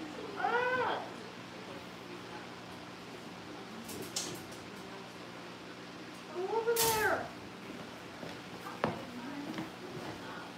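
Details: Indoor litter of Cavalier King Charles Spaniel puppies awaiting family pick-ups: two separate bursts of rising-then-falling puppy whimpers, long quiet gaps between them, a faint room drone and small knocks.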